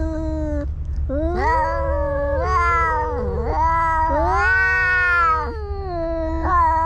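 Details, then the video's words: Two cats fighting: drawn-out, wavering yowls rich in harmonics that rise and fall in pitch, broken by short pauses, with a low steady hum underneath. "Two Cats Fighting"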